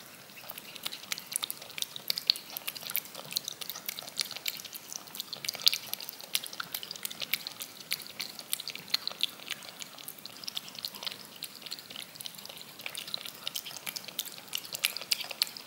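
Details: Cat lapping yogurt from a spoon, looped for ASMR: a dense, steady stream of rapid, crisp wet clicks runs throughout, almost like fine dripping, with no other sounds.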